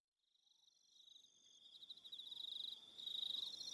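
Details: Crickets on an evening at Aroha Island, New Zealand: a steady high pulsed trill fades in and builds louder, with a second higher trilling band above and a few faint short whistles beneath.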